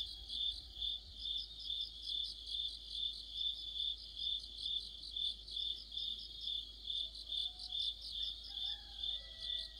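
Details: Autumn chorus of crickets and other insects beneath a streetlight: a steady high chirping band pulsing a little over twice per second, with several overlapping singers; faint brief whistled notes from a bird appear late in the recording.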